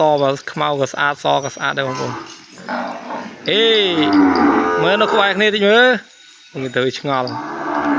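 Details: Kept away from its mother, a calf bawls loudly in the pen: a quick run of short, clipped cries, then a long, sweeping moo that rises and falls, followed by more brief calls.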